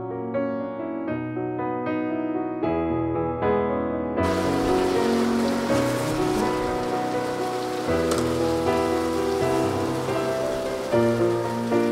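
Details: Soft piano music that is joined after four seconds by steady hissing rain; no animal voice is heard.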